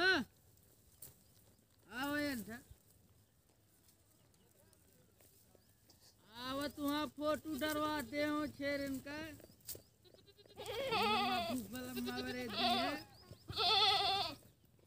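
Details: Baby goats (kids) bleating in a quiet rural setting: short wavering, nasal bleats, one near the start, then a quick run of pulsed calls mid-way and a louder tremulous burst near the end.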